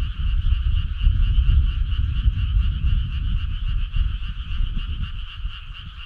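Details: Many frogs call together on a midsummer night. Their fast, throbbing trills merge into an unbroken high hum, and a strong, uneven low rumble runs beneath the chorus.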